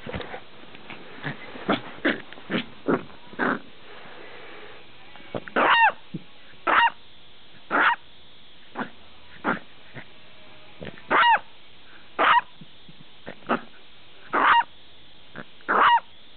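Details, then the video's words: Buster, a dog that seldom barks but barks loudly when he does, gives short sharp barks in irregular bursts, some single and some doubled, with quieter huffs and snorts between them. "Buster Barking Up A Storm"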